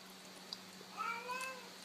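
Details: Domestic cat meowing as a greeting, saying hello: one soft, short, slightly rising then falling meow near the end, after a person's quiet calls of hello indoors.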